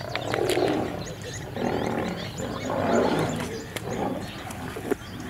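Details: Lions fighting in Kruger National Park at Kambaku River Lodge, an old male battling young males over territory: three harsh, rasping mid-pitched snarling roars, each about a second long, separated by short pauses, with faint bird calls behind.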